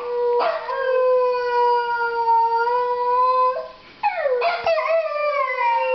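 A Pembroke Welsh Corgi howls with long, steady, tonal notes that slide at the ends.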